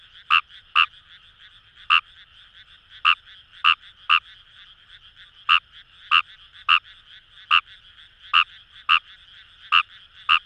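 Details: Fejervarya kawamurai in wet rice fields near the Kamo River, Fukuoka Prefecture; sharp croaks come in uneven clusters of two or three, backed by a constant chorus of distant frogs.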